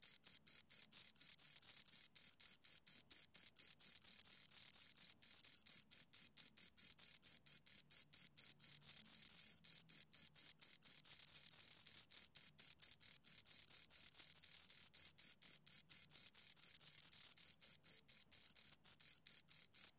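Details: Two crickets chirping close up: shrill, high-pitched pulsed trills repeated steadily at a quick pace with brief gaps, the buzzy chirps continuing without pause against an otherwise silent background.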